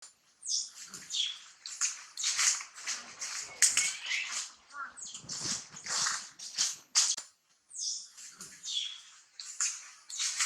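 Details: Baby monkey screaming and crying because its mother Challina will not let it nurse; shrill, harsh screams come in rapid bursts with brief gaps, with a few higher tonal squeals between them.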